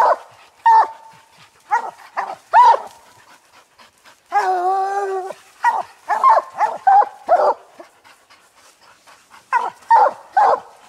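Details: A hunting pack of coon dogs, old Lucky, aging Mossie and year-old Star, barks up at a treed ringtail. Sharp single barks come in uneven bursts, broken by one drawn-out wavering bawl near the middle.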